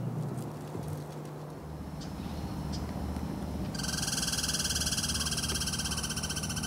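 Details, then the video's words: Pacific Northwest Douglas squirrel, also called chickaree: after a few seconds of rustling and low background noise, a loud fast buzzy rattling trill of rapid pulses starts and continues to the end. "Douglas' Squirrel"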